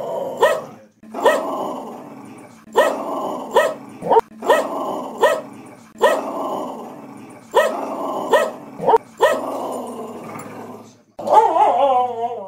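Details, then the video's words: Cheeba the pet dog vocalising in repeated short yelping phrases with a steady beat of sharp clicks, closing with a high, wavering, sliding howl. "CUTE SINGING & RAPPING PUPPY"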